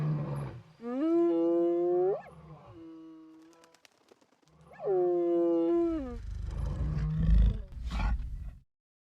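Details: Two long, deep, moaning lion roars, each swelling, holding and fading a few seconds apart, lower grunts after the second, heard while tracking lions on a cloudy overcast August morning at Rietspruit Game Reserve in South Africa's Lowveld.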